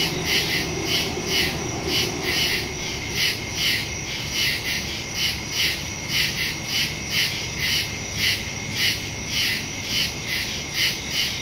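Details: Crickets in woods at night, recorded September 2, 2023 on a Samsung Galaxy S22 Ultra phone with a Shure MV88+ stereo microphone; steady high shrill chirps pulse about twice a second over a faint low hum, with no other clear sounds.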